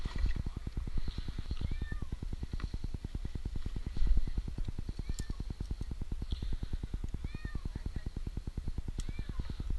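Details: Stranded for two nights high in a tree in Newark, Ohio, 8-month-old kitten Jinx meows in brief rising-falling cries, a few seconds apart, over a constant rhythmic low engine-like pulsing as a rescuer climbs toward him.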